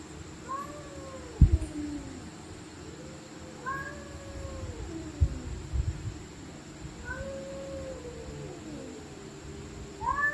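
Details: Stray cats fighting at night, screaming and growling: repeated wailing yowls that rise then fall, arriving every couple of seconds, with low thumps and bumps between cries and a steady hum behind.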